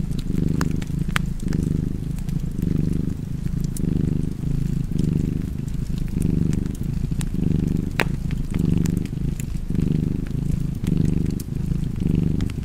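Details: Rhythmic cat purring, a soft throaty rumble that waxes and wanes with each inhale and exhale, accompanied by the sporadic crackling of a fireplace.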